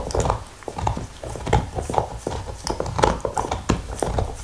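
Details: Nixon the black Labrador gnawing a beef bone with mouth sounds and licking: loud, close crunches and wet smacks in quick irregular succession, heavy low thumps beneath.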